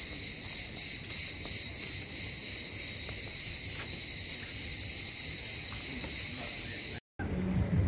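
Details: Cicadas singing in green hotel grounds at Tekirova, Kemer, Turkey, during a 2021 holiday: a continuous, dense, high shrill buzz holding steady throughout, with a brief cut near the end and faint outdoor background.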